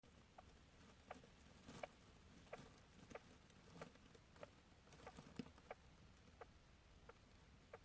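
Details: Sleeping hamster snoring: soft, sharp clicking ticks repeat at a fairly steady pace of roughly one every half second to second, over a quiet, faintly hissing room background.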